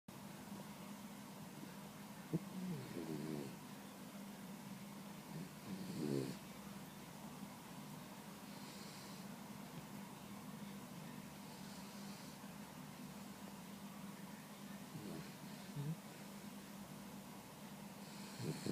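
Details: Bella, a 16-week-old boxer puppy, napping in the afternoon and dreaming: soft, irregular snorts spaced several seconds apart, one stronger rasping breath midway, over a constant low electrical hum.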